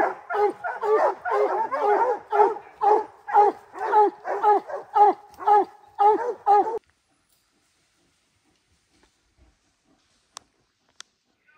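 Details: Puppy Rocky, three months, of Gray's Rack Em Willy x Blackstone's Ram-Paige breeding, bays under his first treed black bear: a fast string of ringing barks that stops abruptly after about seven seconds, then near silence with faint clicks.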